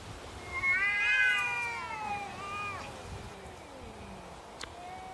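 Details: Neighbourhood cats in a standoff: a long, wavering, rising then falling yowl with strong harmonics, sliding down into a lower drawn-out moan, followed by quiet background.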